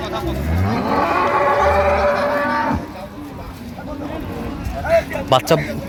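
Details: Dairy cows and calves of an improved breed at Amberi cattle market, Dinajpur, on 28 September 2025: a low, drawn-out moo sliding downward for about two and a half seconds under traders' bargaining voices, followed by quieter market chatter and clatter.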